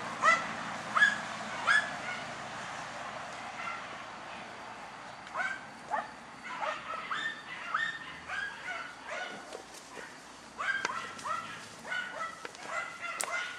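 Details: German Hunting Terrier Dunja barking while hunting wild boar: sharp, harmonic barks, three spaced about a second apart at the start, then a looser run of quick yelping barks and yips through the rest, with faint background noise.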